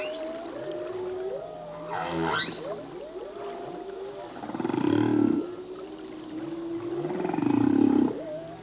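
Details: Humpback whale male's song in the sea: long drawn moans gliding up and down, a rasping buzzy burst near two seconds, then two loud pulsed growls around five and eight seconds over echoing tones.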